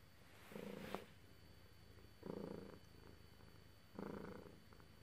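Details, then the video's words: Purring cat being stroked: three strong rumbling surges roughly every 1.7 seconds, with a brief click near the first surge in a quiet room. "Lovely cat purrs while being petted"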